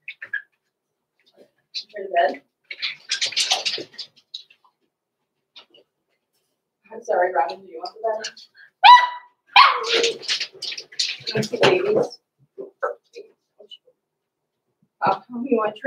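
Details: Six-week-old blenheim Cavalier King Charles Spaniel puppies, Roman and Blue, born November 14, 2022, in an indoor home puppy pen; high, uneven yaps and squeaky barks come in bursts, mixed with people talking nearby.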